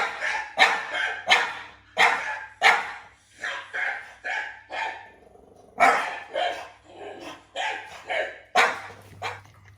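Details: Two French Bulldogs answer strange sounds with rapid, rough barking, bursts coming in quick runs of several barks separated by brief gaps, and a faint steady hum underneath.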